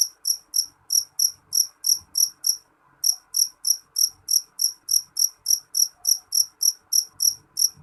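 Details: Loud jeliteng cricket, high piercing chirps repeated steadily about three to four times per second with one short break, over soft low rumbling.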